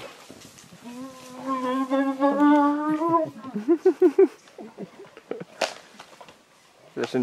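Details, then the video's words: Spotted hyenas fighting over an impala carcass and vocalizing loudly. A drawn-out, slowly rising harmonic moan is followed by rapid, rhythmic grunting bursts. Sharp crunching clicks come later, possibly from jaws on the carcass. "Hyenas fighting and vocalizing loudly over impala carcass."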